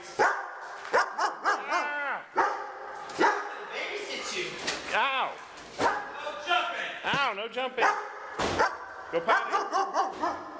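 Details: Excited pet dogs, reportedly attacking someone with a broken foot, produce bursts of shrill yaps and bending whines, several at once, over a person speaking commands.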